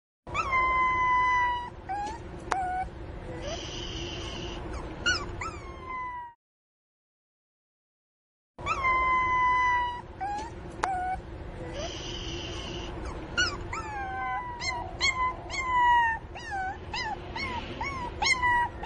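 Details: Pinscher puppy crying loudly for its missing mother: long high whines that hold steady then drop slightly, mixed with short rising yelps, a brief silent gap midway, then more whines and squeaky yelps.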